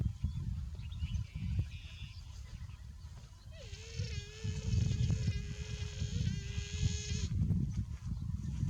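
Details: A buffalo calf that is too hot calls once with a long, even, nasal tone of nearly four seconds. The tone starts with a brief upward flick and then holds steady pitch, against continuous low rumbling background noise.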